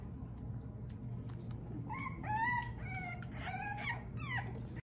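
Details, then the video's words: French Bulldog puppies from the Fanya x Prince litter playing indoors, giving a burst of short, high, tonal whines and yelps, some bending up and down, with a low steady room rumble underneath. "Frenchies at play."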